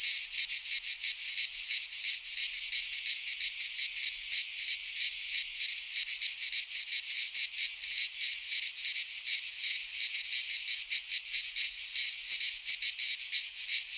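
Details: Greek pine-forest cicadas in midsummer, many insects together producing a high, rasping, nonstop drone, its intensity beating in rapid waves around three per second, steady from start to end.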